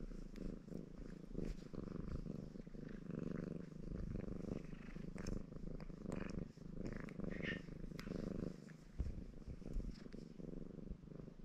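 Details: Baron, a red Maine Coon cat, purring contentedly while washing himself indoors; a steady low rumbling purr pulsing continuously throughout, with faint clicks and licking noises on top.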